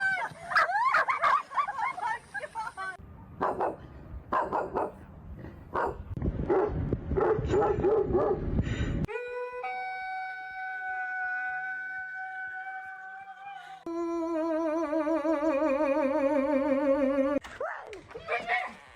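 Several dogs take turns with high yips, rough barking bursts and long, drawn-out howls, one wobbling with a strong vibrato. Human voices and background noise come and go between the abrupt changes.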